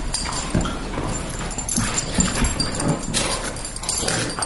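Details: Two pet dogs, a greyhound and a Boston terrier, in their near-daily rough play: thumping paws, scuffling and muffled grunts with short whimpering noises run throughout, broken by broader hissy bursts of movement.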